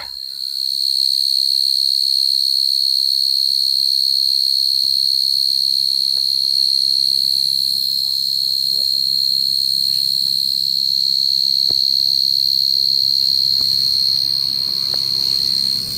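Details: A nocturnal giant cricket (gangsir) near a house in Indonesia at dusk or night gives a loud, piercing, unbroken high trill at one pitch; it stops calling when it notices light.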